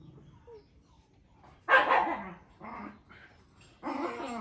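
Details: Puppy offered for sale giving three short, sharp barks, the first loudest, spaced roughly a second apart, with a quiet indoor background.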